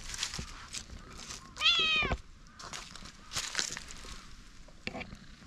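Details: Light and dark orange tabby cat brothers relax and stretch on a bench; one gives a single clear half-second meow, bright and slightly falling, amid scattered rustles and soft outdoor noise.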